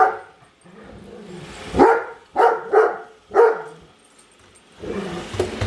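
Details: Female Great Dane indoors barking at a robot vacuum she dislikes, chasing it until it returns to its charger; four deep, harmonic barks in quick succession around two to three and a half seconds, low motor hum before and after.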